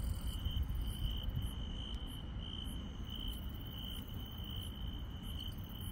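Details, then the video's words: Grass insects chirping on a countryside night: a steady, pulsing mid-high trill runs throughout, with fainter, shimmering higher-pitched insect tones above it and a constant low rumbling background. "시골 밤의 정겨운 풀벌레 소리"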